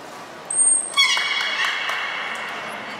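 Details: Beluga at Nagoya Port Aquarium during a training session with Gray, Nana and Niko, 14 October 2019: a thin high whistle, then a sudden louder tonal burst with stacked harmonics that holds and slowly fades over two seconds.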